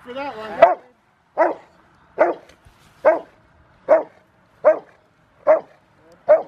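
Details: Five-year-old Rottweiler River v Schwarzerwald barking during bite training, January 20, 2020, ahead of a ZTP trial. A brief human voice opens, then eight strong barks repeat steadily, a little over one per second.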